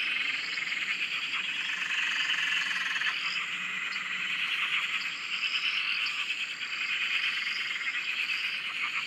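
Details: Dense Australian frog chorus from a farm dam near a shack: overlapping high-pitched trilling and croaking voices blend into a continuous pulsing drone, with occasional brief rattling accents.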